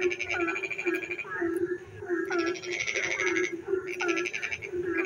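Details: Rainy-night frog chorus heard from a village: rapid pulsed croaks in bursts of roughly half a second, interleaved with brief rising chirps, over a continuous droning background of many calling frogs.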